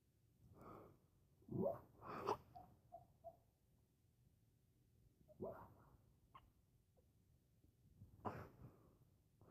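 A sleeping dog makes soft snorts, wheezy huffs and brief high squeaks, in irregular bursts.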